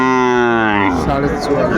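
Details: Sahiwal bull calf at a market in February 2025 during price bargaining; a loud, deep, level moo for just under a second, then breaking off into a man's voice and crowd noise.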